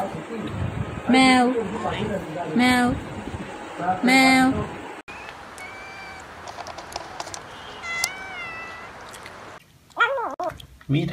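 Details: Domestic cat or kitten giving three loud, drawn-out meows about every one and a half seconds, then fainter high mews with background hiss and a person speaking.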